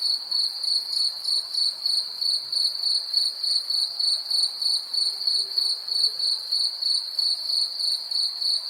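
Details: A cricket calls continuously: a shrill, high-pitched chirp that pulses evenly about three times a second, with no other clear sounds.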